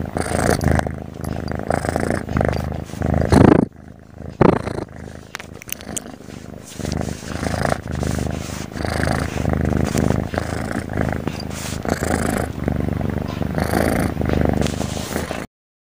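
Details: Cat asleep and snoring steadily, giving deep rasping rumbles that rise and fall with its breathing, broken by a brief quiet spell early on before the snoring resumes and carries on to the end.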